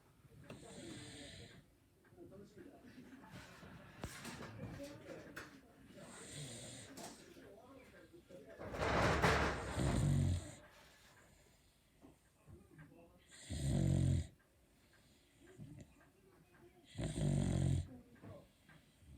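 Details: A sleeping Beagle gives big, characteristic snores: about five deep, rasping snorts with a hissing edge, coming roughly every three to four seconds, with quiet breathing and faint rustling between them indoors.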